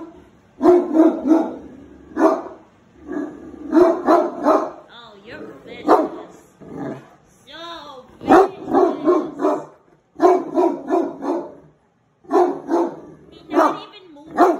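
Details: A Great Dane gives deep, booming barks in short bursts at a deer head hanging on the wall, upset by it, with people talking in between.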